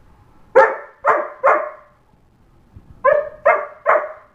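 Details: An 8.5-month-old German Shepherd howls, giving short, tuneful howling yelps in two quick bursts of three.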